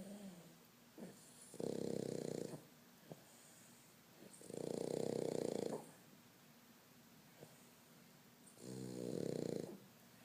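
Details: Pug dog snoring indoors: three long rasping snores, each about one to one and a half seconds, separated by quiet pauses of roughly two seconds, with faint breathing in between.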